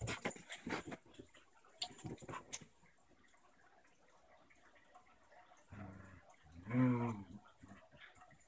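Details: A German shepherd puppy plays with her six-year-old basenji pit bull mix sister. Scuffling and soft noises lead to a strong, throaty, harmonic growl-whine near the end.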